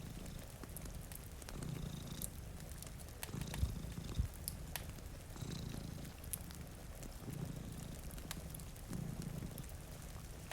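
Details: Purring from two cats asleep by a rain-streaked window beside a cozy fire. A deep, throbbing rumble rises and falls in regular waves roughly every two seconds, sprinkled with sharp fire crackles and a hiss of rain.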